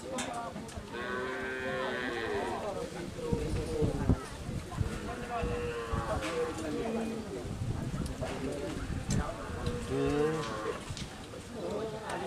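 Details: Madura racing cattle, a large bull raging during karapan sapi practice at the Asemanis track in Pamekasan, Madura, East Java, Indonesia. Low, drawn-out moos with banded harmonics recur through the clip. Human voices are heard alongside.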